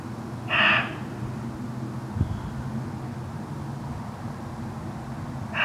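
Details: Evening muntjac barking in elephant grass (miscanthus) close to a pylon at Rudloe's eastern edge, around 7pm on 30 December 2013: one loud abrupt bark, a long pause with faint rumble and a thump, then a second bark cut off at the end.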